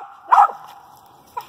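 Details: Female dog barking at a squirrel she has treed: one loud, short bark, then a softer second bark about a second later, over a steady background hum.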